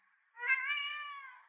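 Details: Orange pet cat indoors "talking" back to its owner: a single drawn-out meow about a second long, harmonic and steady with a slight rise and fall, in a quiet room.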